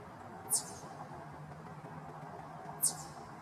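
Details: Eastern chipmunk in the wild making alarm calls as a warning, filmed June 11, 2023; two brief, piercing high chips about two seconds apart, each sliding downward, with quiet low hum between them.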